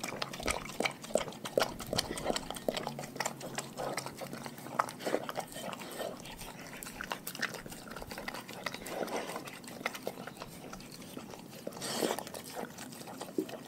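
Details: Raw-fed dogs eating together, steady wet chomping and crunching bites repeated rapidly, with one louder burst of crunches near the end.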